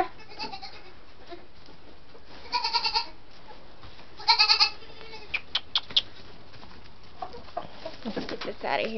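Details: White Saanen/Alpine cross doe kids, six weeks old, near chickens: two short, trembling, nasal bleats a couple of seconds apart, followed by sharp clicks, rustling and a woman speaking quietly.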